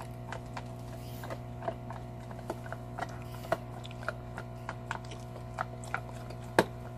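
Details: Large shepherd dog Salta, a Belgian Malinois, chewing a cow bone; short crisp snaps every half second or so, ending in a loud crunch, with a low background hum.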